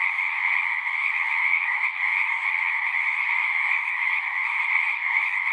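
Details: Frogs singing at a pond in a horse pasture, recorded on a Zoom recorder: a dense, continuous chorus of high trilling calls merging into a steady band, unbroken throughout, with no other sounds standing out.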